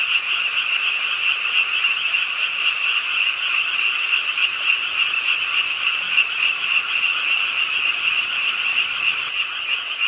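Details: Night chorus of frogs at the pond in Ingye Art Park, Suwon, croaking as rain falls; a thick, continuous wall of fast repeated croaks at an even loudness, rain hissing beneath.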